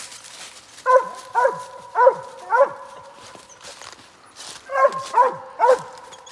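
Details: Rockin KK's Big Time Tank, a squirrel-hunting dog, telling on an MS gray squirrel while hunting: clear, harmonic barks fired in two bursts of about four, each bark dropping in pitch, separated by a brief quiet gap.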